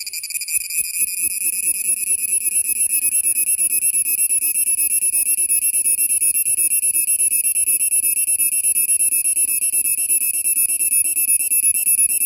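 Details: A cicada in Kerala gives a loud, steady, shrill drone with a fast pulsing rattle running through it.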